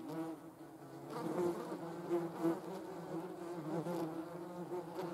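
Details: Vespula germanica buzzing: a continuous low hum with wobbling overtones, swelling in loudness after the first second, with short brighter peaks as insects pass close.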